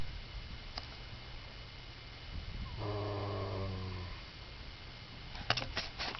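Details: Horse lying down asleep, snoring: one low, droning, buzzy breath of about a second, harmonically rich, amid quiet room noise and a few faint clicks.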